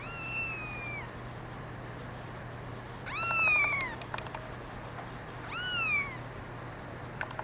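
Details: Domestic kittens, including a brown mackerel tabby and white female, give three high, thin meows about every two and a half seconds, each a clear tone that slides slightly down, over a steady low indoor hum with faint clicks.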